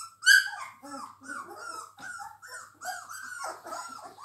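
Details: Labrador Retriever puppies, three weeks old, whimpering indoors: a sharp high squeal at the start, then a continuous run of wavering, overlapping mewing whines that rise and fall.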